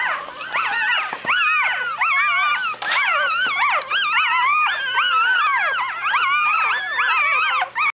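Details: Six newborn puppies, five males and one female, in a litter, crying together in a continuous chorus of high, wavering, rising-and-falling squeals and whines that overlap throughout, with a low steady hum beneath.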